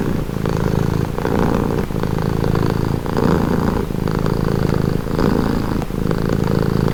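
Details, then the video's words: Close, loud purr of a domestic cat: a dense rumbling hum with clear alternating breath phases, each lasting just under a second, repeating evenly throughout. "Purring cat"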